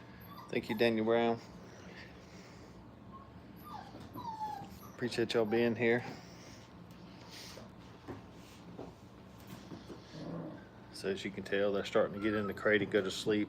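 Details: Five-week-old puppies having fun at a dog training kennel; bursts of high, wavering whimpers and yips come near the start, around the middle and again toward the end, with quieter human voices between them.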